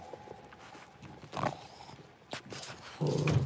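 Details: Six-week-old blenheim Cavalier King Charles Spaniel puppies, a litter of five in an indoor puppy pen at home. A thin steady whine opens, then brief yelping bursts, and a low grumbling vocal sound closes the recording.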